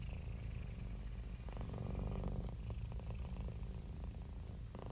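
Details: Close, continuous low purring from cats and kittens, a dense rumble with faint crackling and clicking textures layered over the steady vibration.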